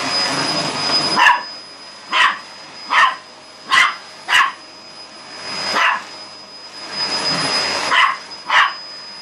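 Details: Indoor dog attacking a vacuum cleaner with loud barking; clipped, sharp barks repeated roughly every second, set against the constant whine and rushing hum of the running machine.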